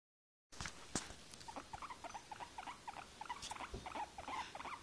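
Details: Guinea pig described as tired, giving a run of short, squeaky, chirp-like notes repeated several times a second after a brief silence, with some faint rustling in the background.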